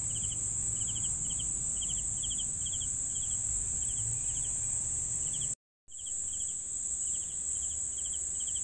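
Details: Crickets chirping for sleep: short pulsed chirps repeated about three times a second over a steady high shrill insect drone, with a brief dropout of total silence midway, then the chorus resumes.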